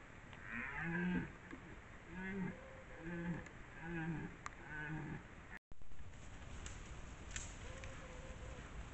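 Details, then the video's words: Red deer in rut in the Považský Inovec mountains, 2025: low, hoarse, moaning calls in short bursts roughly once a second for about five seconds. After a brief gap comes one fainter call over a steady background hiss. "Red DEER Rut 2025"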